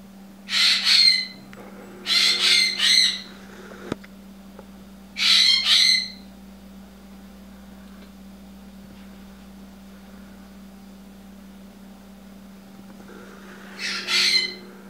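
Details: A wild red fox in the snow in a yard gives harsh, raspy bursts, some doubled, with pauses of a second or longer between them.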